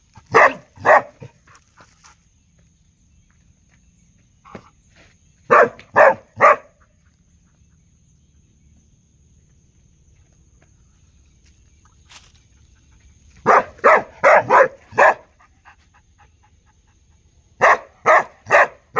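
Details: Domestic dog barking in short bursts of two to five sharp barks separated by quiet gaps of several seconds, with a faint steady high tone in the background.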